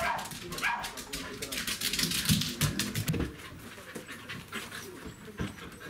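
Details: A Welsh Corgi meeting its breeder whines briefly, then pants rapidly and noisily in an excited, joyful greeting.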